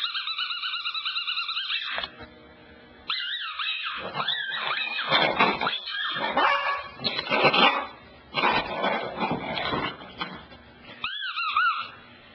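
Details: Pet dog Cassidy carrying on at the couch: two seconds of high, wavering whining, a short pause, then a run of sharp yips and barks, ending with another rising-and-falling whine.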